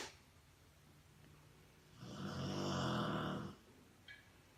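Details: A Rottweiler sleeping on a couch in the morning gives one long, rumbling snore on a slow indrawn breath.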